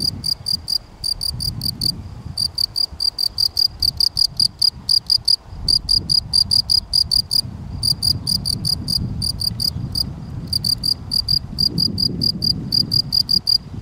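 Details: Gryllus campestris field cricket calling steadily: rapid high-pitched chirps in long runs broken by brief pauses, over a soft low rumble.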